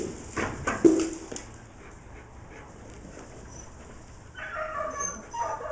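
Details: A male dog herding sheep on 25 September 2011 gives a few sharp, high yips around the first second, then falls quiet before a human voice is heard near the end.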